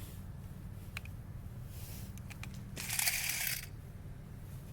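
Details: Crunching and crinkling noises over a steady low hum in a small room, with a brief louder rustle near the end and no animal voice.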